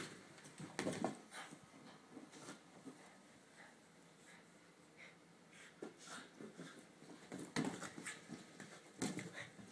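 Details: A Boston Terrier playing excitedly with a big plastic ball pants and snorts in quick, uneven bursts, with occasional thumps in a small room.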